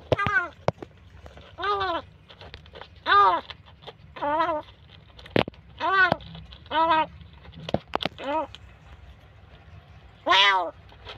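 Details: Kitten rescued from a dark place, now at home but still crying and badly frightened: loud, harmonic wavering wails repeated roughly every second, with quiet gaps, short clicks and faint low hum behind.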